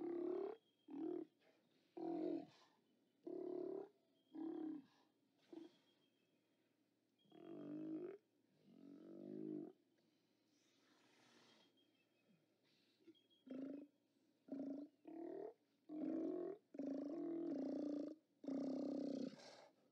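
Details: Steller sea lions calling at a haulout on 29 October 2017, captured by a live cam: bursts of rough, guttural roars from several animals, a quieter stretch in the middle, then dense overlapping bellows toward the end.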